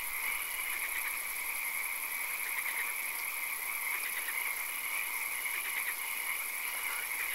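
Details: Frogs calling in a swamp at night with occasional rain: a dense chorus of rapid, pulsed croaks stacked in bright bands, with clustered bursts throughout, over a steady hiss and a constant high-pitched tone.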